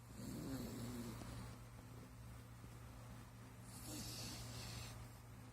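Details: Luna, a Japanese Spitz puppy, sleeping soundly and snoring: two slow, breathy, rasping snores about three seconds apart, with a steady low hum underneath.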